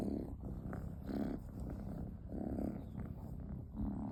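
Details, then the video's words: Sleeping kitten snoring indoors in a small room, low rasping breaths swelling and fading roughly every second, a soft purr-like rumble throughout with no other clear sounds. "kitten keeps snoring"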